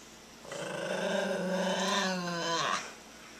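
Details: Maltese dog growling indoors while standing its ground against a child making hostile faces at it: a steady, droning growl of about two seconds, rising slightly in pitch at the end, in a quiet room.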